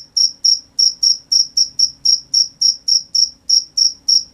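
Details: High, piercing cricket chirps at night, repeated about three and a half times per second in a tight, even rhythm; each pulse short and sharp, nothing else audible above a soft background hum.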